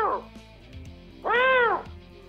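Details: Eurasian lynx in heat calling; males and females call throughout March, calling repeatedly to find each other across very large territories. A single loud, arched wail rises then falls over about half a second, preceded by a fainter short cry.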